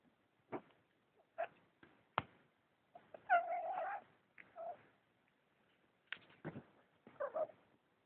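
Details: Persian cat in a quiet indoor setting making short, scattered vocal bursts, including a longer wavering meow-like call near the middle, separated by silences and a few brief clicks.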